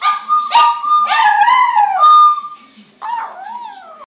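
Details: Pet dog singing, recorded on a phone; wavering, tonal howls with falling and rising glides, one long held note in the middle, a short pause, then a final bending howl.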